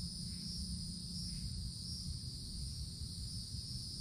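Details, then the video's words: In summer woods, cicadas in the treetops produce a sustained, high, steady whine in two bands while a deep rumble runs underneath. "Forest Canopy in the Summertime With Cicadas Sounds"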